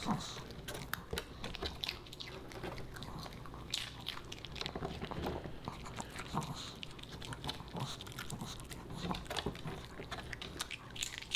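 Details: Pomeranian puppy Boba Bear chewing dog-friendly fish and chips indoors; a long run of sharp, closely spaced crunches and bites over low steady room hum.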